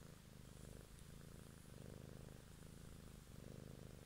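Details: Close-up purring of a cat: a continuous deep, buzzing rumble that swells and eases about every 0.8 seconds, with no other sounds.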